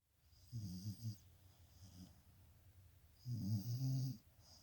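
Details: Sleeping dog snoring, two low, rough, rattling snores about three seconds apart, each around half a second long, against a quiet background with a faint high hiss.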